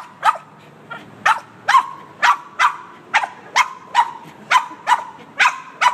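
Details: Boston Terrier reacting to the windshield washer with loud, bright barks coming about twice a second in a fairly steady, insistent series.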